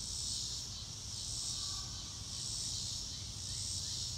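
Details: Crickets recorded in real time outdoors, no music added: a hissing high insect chorus pulsing in slow regular waves roughly every second and a quarter, over a soft constant low rumble.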